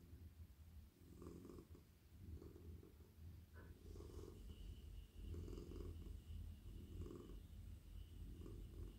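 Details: Purring of a very soft, friendly domestic cat being petted on head, neck and body in a lap; a low steady rumble pulsing with his breathing about once a second, with a faint handling sound near the middle.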